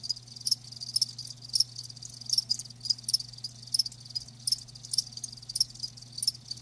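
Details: Sharp, bright cricket chirps ring out about twice per second above a softer, fainter chorus of more crickets, with a low steady hum beneath; the insects are live.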